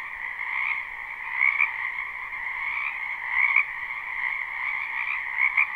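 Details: Many frogs calling together in a spring wetland, recorded live with no looping: an unbroken croaking drone, with sharper, brighter notes standing out roughly every two seconds above the massed chorus.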